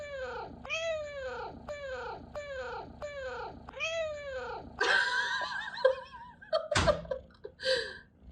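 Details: Pet cat chirping uncontrollably indoors: six short, bright, downward-curving chirps in quick succession, about one every 0.7 seconds, then rougher, scratchier cat calls and a sharp knock near the end.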